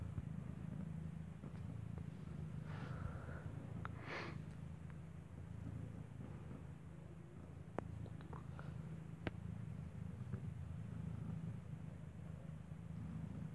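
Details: Deep continuous purring as Kartopu, a mother cat living in a building, nurses a kitten whose eyes are still closed; a faint thin squeak rises briefly early on, with scattered small clicks and rustles over the low rumble.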